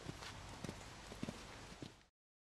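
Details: Willie, a seven-year-old Belgian Draft and Quarter Horse cross gelding used for fox hunting, walking with a steady clip-clop of hoofbeats, about four soft low thuds spread over two seconds, over a faint outdoor background hiss.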